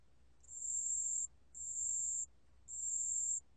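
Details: A 담색방울벌레 cricket gives high, thin, buzzing trills, each under a second long, repeated with short pauses.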